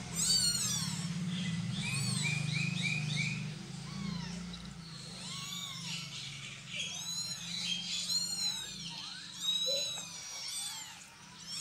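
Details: While a mother cat moves her kittens, high thin mews crowd and overlap, several in quick bursts, rising then dropping in pitch, over a steady low rumble and background clatter.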